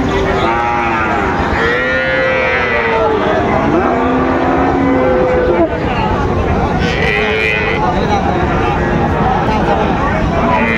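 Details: Cattle lowing at Raniganj haat market in Dinajpur on 6 June 2024, where Sahiwal bull calves are sold: several overlapping moos rise and fall in turn, amid a dense background of crowd chatter and market noise.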